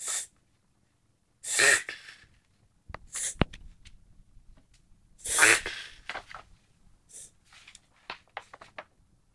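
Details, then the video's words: Whippet, a sighthound, reverse-sneezing indoors: loud broadband snorting bursts around two and five seconds, with shorter sharp inhaled snorts and snuffles scattered between them, in a quiet small room. "Reverse-sneezing Whippet/Whippet nießt rückwärts"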